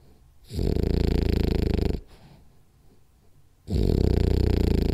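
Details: During a power nap, Rolly the French Bulldog lets out loud, fluttering low snores lasting over a second each, roughly every three seconds, with near-silent exhales between.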